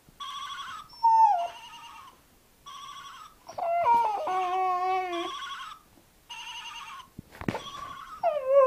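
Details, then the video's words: A Briard howls in long, wavering, sliding tones, loudest in the middle stretch, amid a repeated steady electronic ringing tone that starts and stops several times. "The Howling Briard"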